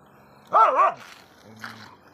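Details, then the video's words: Dog barking at other dogs: one short, tonal, double-peaked bark, then a fainter, rougher bark about a second later, over a quiet background hum. "dog barking"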